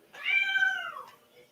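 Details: Domestic cat meowing insistently indoors during a live stream; one clear, tonal meow of about a second, level at first then sliding downward at the end, with a quiet room behind it.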